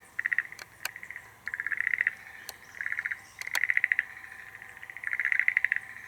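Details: Schlegel's green tree frog calling from a nest it dug in the soil to attract females, Tokyo, Japan, April or May: pulsed, rattling trills near the same pitch, repeated in bursts under a second long with short gaps, sharp clicks between.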